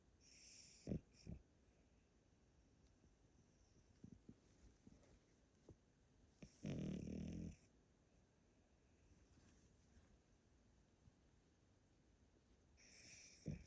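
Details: Elderly Pomeranian Yotaro snoring heavily while asleep indoors in Japan: brief snorts, then a long, rough, growling snore lasting about a second, and another snore starting at the close. The room is otherwise hushed.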